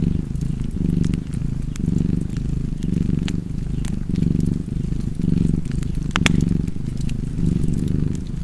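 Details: Cat purring beside a fireplace: a deep, steady rumble that swells and eases in regular cycles of roughly one second, with sharp crackles and pops from the fire scattered throughout.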